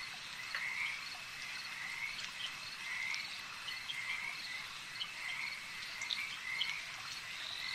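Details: Frogs calling at a lake: a steady chorus of wavering, trilled croaks in a high band. Higher pulses overlap them, with soft crackling clicks underneath and no other clear sounds.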